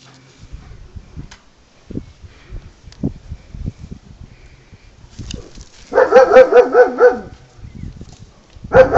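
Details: Kaiser, a German Shepherd impatient during ball play, lets out a rapid burst of about six sharp barks midway, then another bark at the end, after scattered soft thumps and scuffing.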